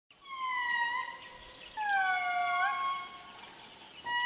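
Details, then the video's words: Indri, the largest lemur, in Madagascar: two long, clear wailing notes, the first held steady and slightly falling, the second sliding down then bending upward, with a third note starting at the end; quiet natural background. "Largest Lemurs in Madagascar, the Indris. Astonishing mesmerising call."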